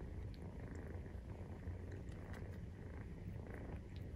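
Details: Continuous low, even purr of a Maine Coon cat at nursing time, kittens aged 43 days; the deep pulsing drone holds level without pause, with light scattered ticks.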